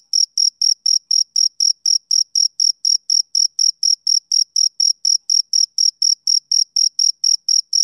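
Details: Rhythmic chirping of a male cricket on a summer evening: a clean run of short, shrill pulses, roughly four each second, very regular, against complete silence.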